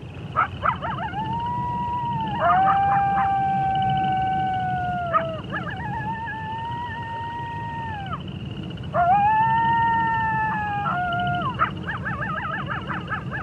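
Wolves howl in long, steady, overlapping tones, broken by short yips and barks.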